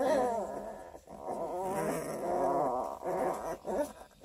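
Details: Twelve-day-old Coonhound cross pups (Redtick x Black & Tan), litter of 11, Kingston area, Ontario: a steady chorus of wobbly, nasal whimpers and soft grunting moans, several pups calling at once, followed by a woman's voice.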